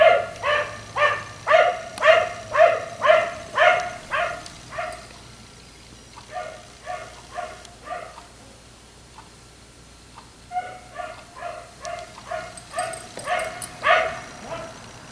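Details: ['Black Labrador retriever left outside by neighbors late into the night, barking in quick repeated bursts roughly twice a second, pausing, then resuming with a faster, more scattered series; faint distant hum underneath.']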